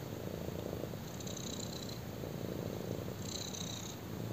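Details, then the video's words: Black kitten lying on a person, purring; a short stretch of low buzzy rumble in two breath cycles, each with a faint airy hiss on top. "BLACK KITTEN PURRS WHILE LYING ON ME!"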